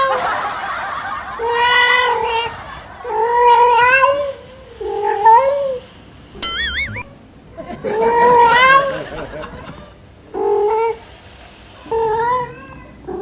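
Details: Pet cat Yuanbao calling insistently in the early morning for more food after a meal; a string of wavering, drawn-out meows of varying length, with a brief electronic chirp partway through.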